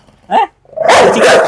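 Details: Dog in a challenge where it is provoked to bite: a short single bark, then a longer loud, harsh burst of barking.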